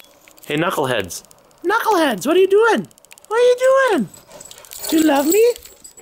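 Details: Dogs playing together at daycare: four loud, drawn-out yelping barks, each arching up and then sliding down in pitch, with short quiet gaps between them and faint jangling in the background.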